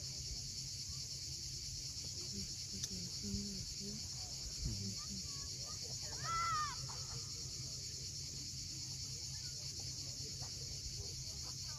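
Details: Cicadas droning steadily at sunset above the sea at Cape Fiolent, Crimea; a bird gives short chirps and a brief twittering phrase midway, while low waves murmur throughout.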